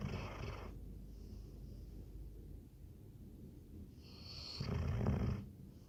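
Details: Sleeping Labrador Retriever snoring: a rough low snore at the start, a quiet stretch of soft breathing, then a louder rattling inhale near the end.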